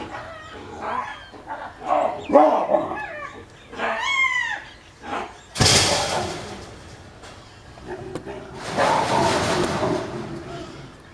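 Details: Captive baboons fighting inside their enclosure, a male chasing the others just after eating; dog-like barks and shrill arching screams come in quick bursts during the first half, followed by loud rushing noise, with a man talking in the background.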